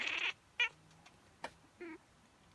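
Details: After a sharp sneeze-like burst, Miez the house cat gives her usual sneeze reaction: a brief high chirp, a faint click, then a short throaty harmonic call.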